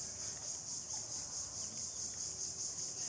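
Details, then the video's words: Outdoor afternoon cricket chorus: a shrill, high ringing trill pulsing about four times a second, even and unbroken over the whole stretch, with only low rural background noise beneath it. "ঝিঁঝিঁ পোকার ডাক"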